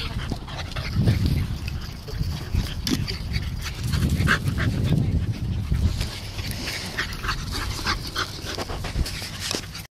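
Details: Ares and Luna, two pugs, dashing in laps around chairs: low snuffling grunts and whimpering yips come in bursts around one second and four to five seconds, over steady scrabbling and rustling noise.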